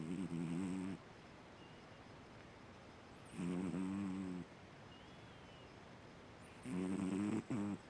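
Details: Sleeping Siamese cat Fu-chan snores in a regular rhythm: three loud, low, rattling drones near one second each, spaced about three seconds apart, the last briefly broken, over a soft steady hiss.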